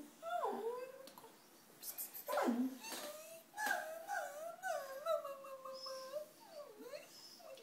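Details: A dog crying indoors: drawn-out, high whimpering whines that rise and fall and bend in pitch, coming in several runs with short breaks, and a person's voice speaking nearby.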